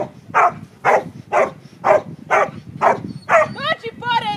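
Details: Border Collie Panda, a 9.5-year-old retired agility dog, in protection training, gives steady barks about twice a second, six in a row, followed by high, quavering whines at the end.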